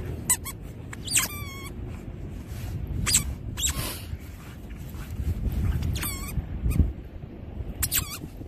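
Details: Labradoodle worked up while digging, with its excitement at a maximum, letting out short squeaky whines in scattered bursts, some wavering in pitch, against steady low background noise outdoors.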